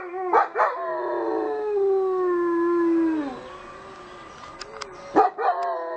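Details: Dogs, mothers with pups, howling along with a softer noon siren, unsettling the pups; a long falling howl sliding down over about three seconds, with short sharp yelps at the start and end.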